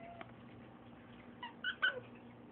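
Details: A female pet fox gives two quick, high, squeaky chirps, weird noises she makes when excited.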